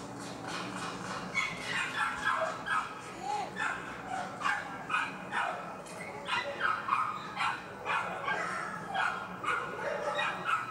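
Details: Poodle barking at the Anseong dog show: a steady run of short, sharp barks about once a second throughout, over constant crowd and hall noise.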